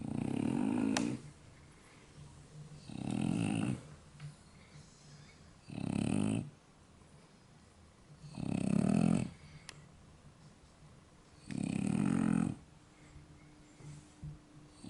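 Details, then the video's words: Sleeping soundly indoors, French Bulldogs Yaman and Enraku snore in five loud, rough, low rumbles, each about a second long, spaced roughly three seconds apart with quiet breathing between. "フレブル いびき"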